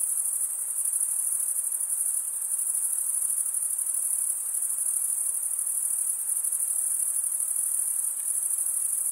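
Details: Male crickets stridulate in an unbroken shrill chorus, wing scraping across the comb-like wing vein producing a constant, high, pulsing ring that barely varies in loudness throughout.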